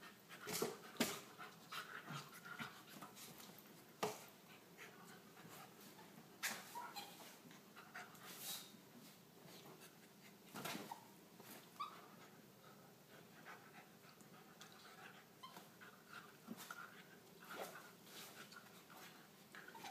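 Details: Young Corgi named Emrick in a long late-night play bout with the ferret Shanny, around 1:30; rapid breathy panting runs under frequent scrabbling, clicks and sharp bumps from the wrestling, with brief whimper-like tones.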